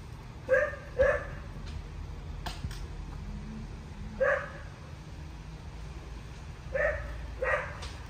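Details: Barking from Lola, a Cocker Spaniel aged two and a half, training obedience around dogs. Five sharp barks come in loose pairs, first close together, then after a pause of about three seconds, with a few clicks and knocks between.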